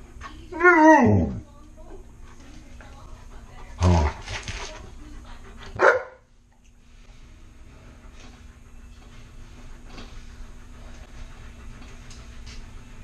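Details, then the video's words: Tonka, a pet Alaskan Malamute indoors, asking for some french toast: a loud drawn-out whining howl with rich harmonics sliding downward, followed by two shorter gruff vocal bursts a couple of seconds apart, then a quiet room with faint hum. "Malamutes Unusual Way Of Asking For Food"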